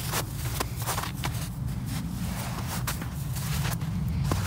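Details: Footsteps crunching outdoors over a steady low rumble, with faint speech and no animal voice.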